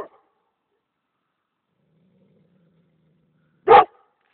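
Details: Kangal mix dog giving one short, deep woof after a long silence, with the tail of another bark at the start.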